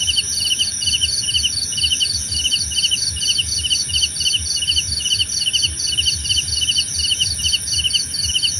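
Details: Steady cricket song offered as relaxing nature sound: bright pulsed chirps in evenly spaced groups about every half second, layered over a constant shrill insect buzz and soft low background noise.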